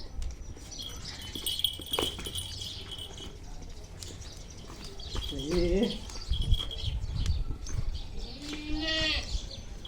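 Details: Native village billy goat, squaring up to a person in a playful fight, lets out a wavering, quavering bleat midway, then a second shorter harmonic bleat near the end, with men talking and rustling around it.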